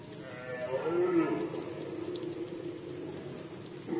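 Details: Rut season in Poland, 2020, with a red deer giving a short, hoarse, moaning bellow that rises and then sags, set against a constant shrill insect pulsing.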